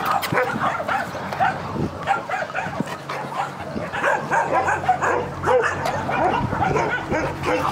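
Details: Labrador dog barking in a rapid run of short, harsh barks, several each second, continuing for about seven seconds, with low human voices at times underneath.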